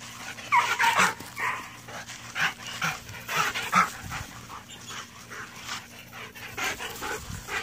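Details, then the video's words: Belgian Malinois giving a run of breathy, broadband panting bursts with soft whimpering notes, repeated irregularly at about two per second across the clip, with light background noise. "Rudioso malinois"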